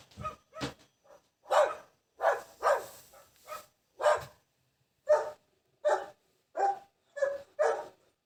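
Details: Dog barking in an irregular series of short, sharp barks, some single and some in quick pairs, over about eight seconds with clear gaps between.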